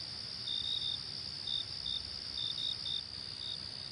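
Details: High, continuous insect trill from crickets in the wilderness, punctuated by brief clustered chirps, some doubled, over a soft low rumble.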